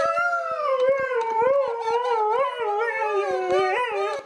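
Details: Dog reacting to an annoying sound with a continuous four-second howl. The tone wavers up and down in pitch, and sharp clicking taps are scattered throughout.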